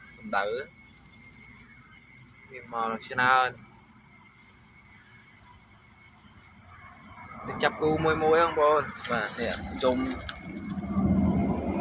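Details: Farmed crickets kept under a heat lamp during the cold season, calling to find mates before egg-laying; steady high, rapidly pulsed chirping runs throughout, interrupted by bursts of a man talking.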